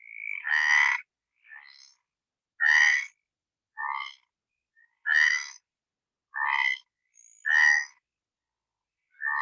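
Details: Stripeless tree frog song, played back during an amphibian talk, a call said to carry 1 to 2 kilometres. Harsh, rasping croaks with a rich stack of overtones, one roughly every second or so, about eight in total with brief silent gaps.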